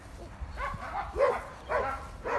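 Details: Dog letting out a few separate sharp barks spaced roughly half a second apart, each with a bright, clipped, slightly downward tone, against low steady noise.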